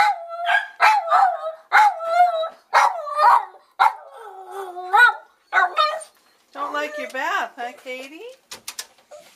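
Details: Pet dog named Katy singing during a bath in a utility sink: a run of short, wavering yowls and whines, each rising then falling, followed by longer drawn-out howling notes that slide upward before a few sharp closing sounds.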